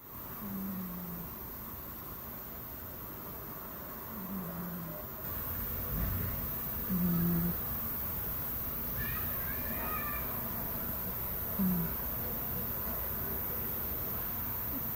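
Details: A sleeping cat snores softly. Short, low, buzzy snore breaths come every few seconds in a quiet room. Faint higher chirpy sounds appear near the middle.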